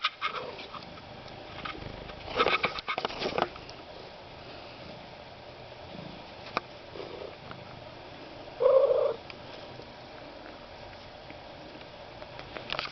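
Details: One-eyed rescue cat Goemon Shinobi, recently taken in, gives a single brief trilling chirp late in the recording after a burst of rustling handling noise, with low room hiss throughout.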